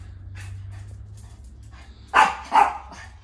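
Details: Chihuahua greeting its owner indoors, giving two short sharp yappy barks close together near the end, after quieter rustling and low background hum.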